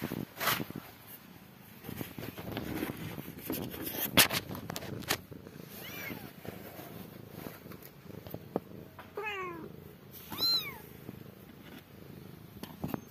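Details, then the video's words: Domestic cat household, a mother cat tending newborn kittens indoors; two short, high, thin mews with arched pitch rise late in the recording, after stretches of rustling, handling knocks and clicks. "Mother Cat take care Cute Newborn kittens Meowing"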